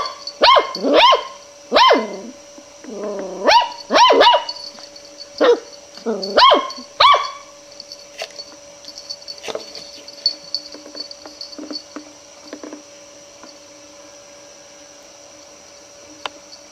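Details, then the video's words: A long-haired Miniature Dachshund puppy gives a burst of sharp, high yapping barks, afraid of a roll of ribbon she still wants to investigate. "Dachshund Puppy Afraid of Ribbon - Tatiana"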